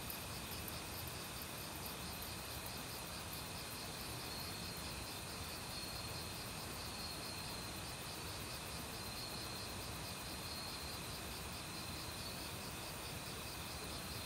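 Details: In an autumn forest, crickets and assorted insects keep up a dense, unbroken chorus of fast rhythmic pulses and a thin sustained high note, with the rush of a nearby stream filling the background.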